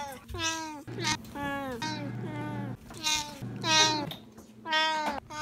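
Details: A Siamese cat known for excessive meowing meows over and over, each call loud, drawn-out and sliding down in pitch.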